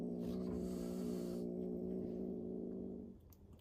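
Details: Fearful rescued kitten in a protective cat cafe gives a long, even, rumbling growl with a rich layered tone, held for about three seconds, then fades into a quiet room with small handling noises.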